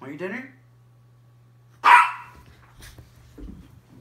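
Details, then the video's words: Miniature Pinscher with one short, loud bark in the middle, after a brief burst of human voice at the start; soft shuffling noises and a low hum follow. "Min pin barking"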